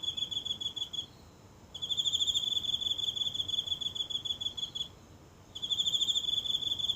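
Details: One insect calling nightly in the grass of a tiny home garden, phone held close in the silent night: a high, steady pulsing trill, broken by a pause of about a second before resuming.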